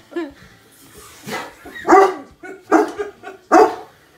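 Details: Cane Corso dogs playing with a balloon for the first time, short deep barks and woofs, about four bursts in four seconds, with a person laughing nearby.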